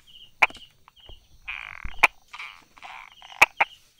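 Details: Brauer's tree frog calling from among rock crevices and small grasses on 22 July 2016, late morning. Single hard clicks, then a close pair, are spaced over a few seconds against a faint buzzy background.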